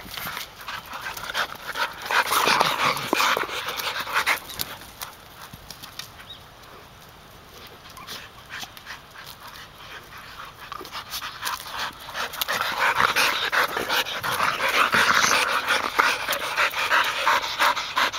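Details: Golden Retrievers, three sisters including a one-year-old, panting while retrieving, recorded 29 September 2010; fast breathy panting that fades in the middle and returns louder toward the end, with faint outdoor background.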